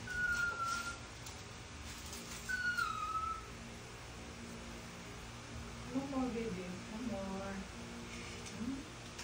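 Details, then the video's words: Begging Toy Poodle asking for food, recorded October 2023: two short, high, falling whines early on, followed by softer, lower, wavering whimpers. "Toy Poodle begging for food"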